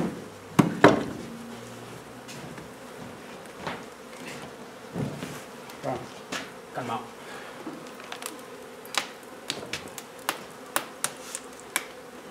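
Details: Honey bee colony being removed from an old home under renovation in Donna, Texas. A low, droning hive hum continues under repeated sharp knocks and scraping noises from the removal work.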